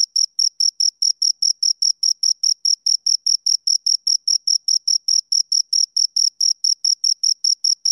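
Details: A pair of crickets keeps up rapid, regular high chirps, each a brief ringing pulse, repeating without pause across the whole stretch against a completely quiet background.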